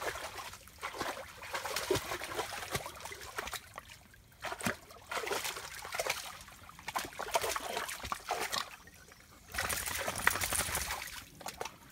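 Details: Trickling and splashing water comes in bursts with quieter gaps, as a dog plays in lots of water on a walk, with no animal voice heard.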